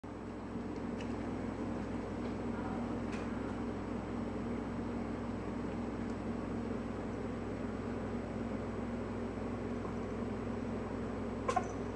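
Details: A steady low indoor hum like a fan or appliance fills the room, with a few faint clicks and no animal calls.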